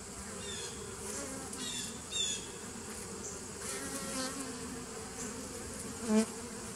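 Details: Bees from a 2017 nuc colony, recorded on 27 September 2018: a steady low droning hum with layered tones, plus a couple of brief high chirps near the end.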